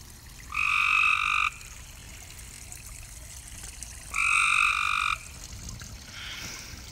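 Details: Two long, buzzy frog croaks rich in overtones, spaced about three seconds apart, from a pond at night, with quiet hiss between calls and a faint further call at the end.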